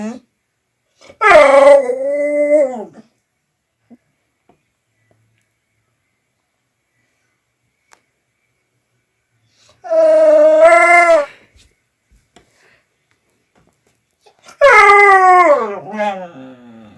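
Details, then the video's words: Dog producing odd vocal noises: three separate moaning, howl-like cries, each rising and then sliding downward, spaced several seconds apart with silence between them. "Crazy Dog Makes Strange Noises Again"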